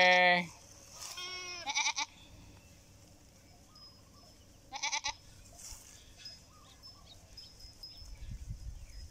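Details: Goat bleating several times: a loud opening bleat, a wavering quavering call around one to two seconds, and another short bleat near five seconds, separated by quiet hissing pauses with some low rumble at the end.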